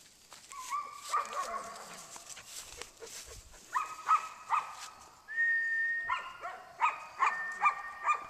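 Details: Silver sable female puppy giving a run of high whines and yelps, several tonal squeals in bursts, some held and some repeated about twice a second, with faint background noise.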